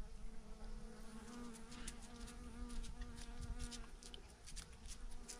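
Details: Thousands of bees hanging in a massive clump on a branch make a steady, dense hum with a low droning tone and layered overtones, continuous throughout.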